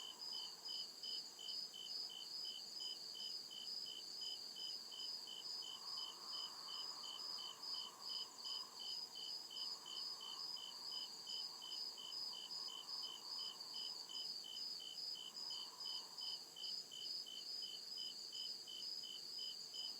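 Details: Night chorus of crickets deep in the forest, a rapid even series of high chirps running without pause over a constant shrill whine, with soft lower murmurs rising and fading midway.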